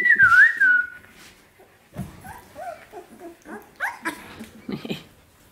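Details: Seventeen-day-old Samoyed puppies: a loud wavering whistle opens, then brief high squeaks and yelping whimpers follow in uneven bursts.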